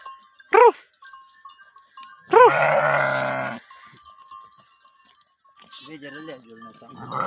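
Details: Sheep herd at mating: a short sharp cry, then a loud, coarse bleat of over a second, later softer wavering bleats, over a steady thin ringing tone in the background.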